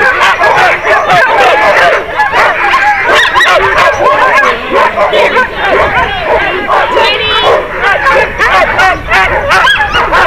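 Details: Sled dogs in a six-dog heat at a sled dog race in South Australia in 2012: a constant chorus of high, wavering yelps and howling barks from many excited dogs, loud and overlapping throughout, with occasional human voices.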